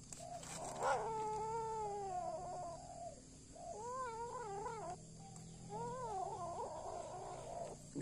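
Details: Kittens feeding on a rat while their mother eats rice. They give repeated warbling, quavering yowls in three drawn-out bouts with short gaps between them, over a constant low hum.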